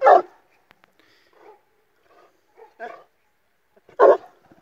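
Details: Illyrian Shepherd versus Presa Canario mix dog: one loud, deep bark at the start and another about four seconds later, with faint scattered voices and soft sounds between them.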